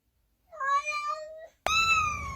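A kitten gives two high, drawn-out meows, the second sharper and slowly falling in pitch.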